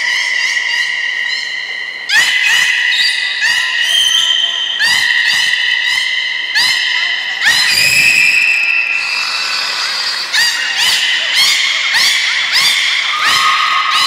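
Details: Captive belugas Hodoi, Taanya and Mirai during training at the Port of Nagoya Public Aquarium, Japan, on 14 September 2019: a dense run of squealing, stepped harmonic calls mixed with sharp clicks and pulses, echoing in a large hall.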